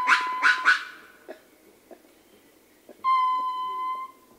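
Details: Ring-tailed lemur troop: three quick rough grunt-like calls from other members open the clip, followed after a pause by the male's sustained, even, whistle-like howl lasting about a second.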